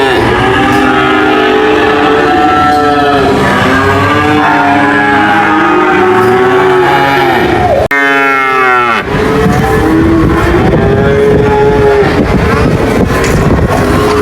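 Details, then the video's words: Repeated overlapping cow moos fill the scene, broken by an abrupt cut near eight seconds where a sweeping, sliding bellow starts, then mooing resumes amid background noise. "cow mooing sound"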